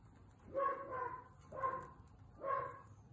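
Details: Guinea pigs out on a picnic, voicing three harmonic squeaks roughly a second apart, each a short, slightly wavering call over a low background rumble.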